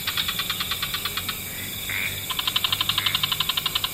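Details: Frogs calling in an evening wetland chorus: a quick train of evenly spaced clicky pulses, a pause filled by a brief rising tonal note, then another faster, louder pulse train over a faint hiss.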